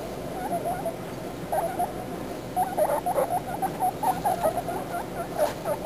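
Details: Baby guinea pigs talking: soft, short squeaky chirps in quick clustered bursts, many overlapping from around one and a half seconds onward, over a steady low background hiss.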